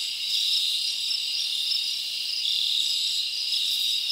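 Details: Night-time chorus of crickets in a summer forest, a sustained bright high trill with slight swells in loudness, steady from start to finish.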